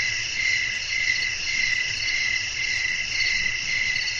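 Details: Crickets singing on a windy night, a steady shrill chorus of high pulsing chirps, rhythmically repeating, with soft low rumble underneath.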